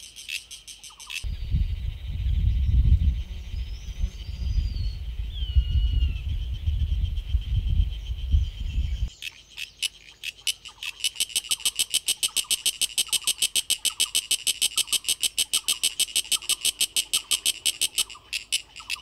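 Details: Sulphogaeana cicada, a genus of Asian cicada: a steady high-pitched hiss with faint chirps over low rumbling noise, then a fast, even train of sharp buzzy pulses, roughly three per second, sounding through the second half.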